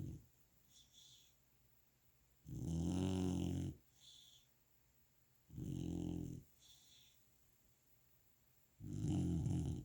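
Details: Golden Retriever puppy asleep and snoring after a fun day of playing; long rasping, rumbling snores roughly every three seconds, each lasting about a second, with softer breaths between, indoors.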